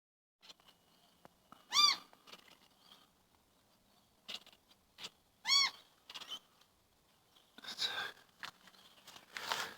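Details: Domestic cat making a strange sound its household had never heard from it before: two short, bright, harmonic chirping calls about four seconds apart, with soft rustling and handling noises between and after them.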